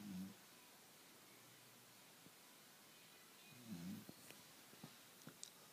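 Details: Late-afternoon nap of Lola, a Labrador Retriever: two short, low, raspy snoring breaths about three and a half seconds apart, separated by near silence and a few faint ticks in a quiet room.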